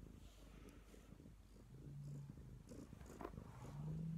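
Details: Purring Neva Masquerade cat, a colourpoint Siberian kept indoors: a steady deep rumble with a rapid pulsing texture, growing slightly louder toward the end.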